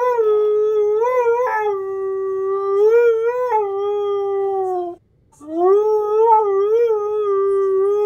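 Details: Husky howling in long, drawn-out wails with smooth wavering pitch and rich overtones, one sustained howl breaking off near five seconds before a second howl rises and carries on, gently warbling, to the end.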